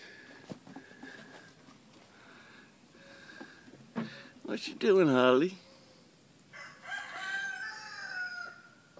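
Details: Goat screaming like a human: a loud, strained, quavering bleat about a second long, rich in harmonics, after softer earlier calls and followed by further wavering cries; faint background noises throughout.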